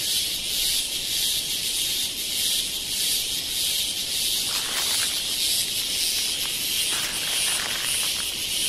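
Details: Cicada chorus from Kodaikanal and Thekkady, India, 2014, a loud unbroken shrill hiss-like buzz with fast rhythmic pulsing, plus brief softer rustling sounds midway.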